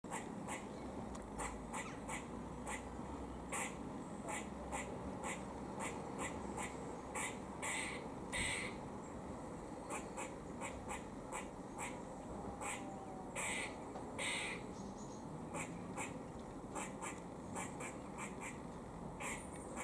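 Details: Squirrel eating in Cambridge, UK, on 17 October 2020, giving its warning noise: a rapid series of short, harsh, broadband chucks. Some are louder and raspier than others. A steady low background hum runs underneath.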